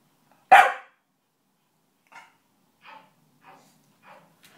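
A Staffordshire Bull Terrier gives one loud, sharp bark, then several fainter, shorter barks.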